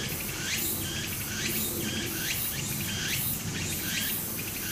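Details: A short stretch of cicada song recorded beside a brook in Japan during summer: bold rising sweeps in close succession over a steady high shimmer, with stream water rushing underneath.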